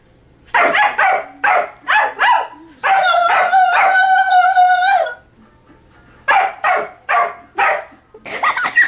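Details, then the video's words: Dino, a pet dog, barking in an exchange with a person; quick run of loud barks, then a sustained two-second howling whine, a pause, and another rapid series of barks at a brisk pace. "Barking Fit!"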